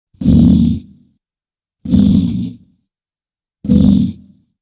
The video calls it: BISON SOUND - ANIMAL SOUNDS - Sound Effects